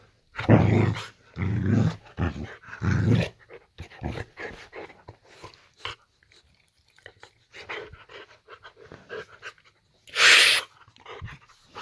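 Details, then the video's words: Boxer dog Layla in a bedroom at bedtime, acting 'possessed'; a few deep growling bursts early on, then quieter snuffles and grumbles, and a sharp loud sound near the end. "A Boxer Dog Possesed."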